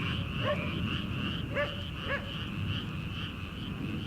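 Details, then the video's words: Early-summer rice paddy frogs, before transplanting, keep up a continuous pulsed croaking chorus while a farm dog guarding a house barks a few times in the far distance. "초 여름 개구리 울음소리/ 논에서 들리는 개구리 소리"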